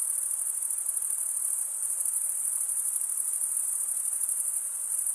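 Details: Many crickets chirp together on a summer night in the forest, their shrill rapid pulsing merging into one constant bright buzz at steady volume.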